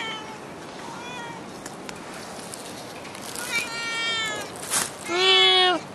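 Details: A stray cat in Singapore meowing outdoors: a few soft, high whining meows, then louder drawn-out meows with rich harmonics, the last one long and falling, over steady background hiss.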